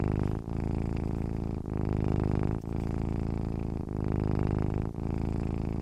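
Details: Low, rough purr of a domestic cat asleep, pulsing in slow waves with short breaks roughly every 1.2 seconds. Nothing else is heard.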